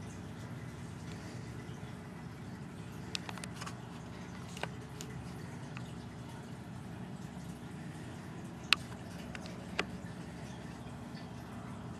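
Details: Quiet indoor room hum broken by a few sharp clicks and drip-like taps, with no animal voice.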